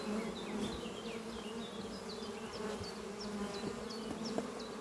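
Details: Honey bees flying at the beehive Doppio, a horizontal hive made from an old French oak chest under trees, on a spring morning. A steady low drone hums throughout, with repeated high chirps from a bird in the background.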